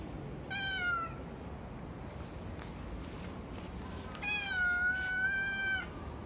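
A calico cat gives two clear meows, a short one followed by a longer, drawn-out cry.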